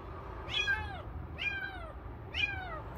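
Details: Kitten found on the street by following its cries, three clear, high, arched meows in quick succession, each dropping in pitch at the end, over low background hum.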